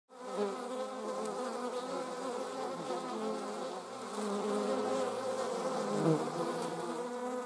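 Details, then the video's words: German wasps in flight, several buzzing at once: a steady droning hum with stacked harmonic bands that waver up and down in pitch as the insects turn, rising slightly louder toward the end. "German wasps - slomo flight show. Deutsche Wespen Zeitlupen Flugschau"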